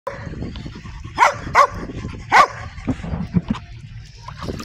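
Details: Dog barking: three sharp, loud barks in quick succession, then softer short noises and a few words of human speech.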